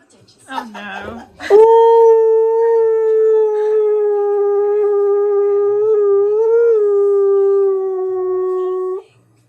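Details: Husky singing with an odd voice: after a short whiny yelp, a sustained, even howl lasting about seven seconds, with small pitch wobbles near the end before it fades.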